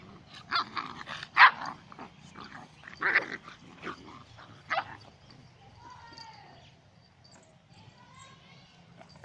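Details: Dalmatian and pointer puppies fighting: bursts of rough barks and growls in the first five seconds, then high whining yelps with harmonic tones toward the end, a sharp noise closing.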